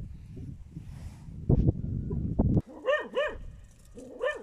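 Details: Dachshund, shown with a wild boar, giving about four sharp, yelping barks with rising-falling pitch in the second half, after a stretch of low rumbling noise.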